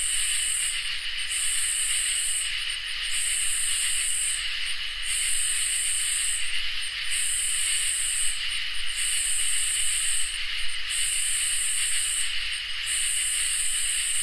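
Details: Summer night chorus of crickets and katydids: a steady piercing trill with a regular pattern of sizzling, high buzzy bursts over a second long, separated by short gaps, about seven across the stretch.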